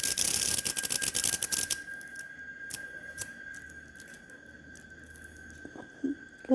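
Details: In El Salvador, where cicadas emerge this season, a cicada held harmlessly in the hand bursts into dense, rasping rapid clicks for under two seconds, then falls quiet, leaving a faint steady whine and a few soft indoor knocks; it is later released.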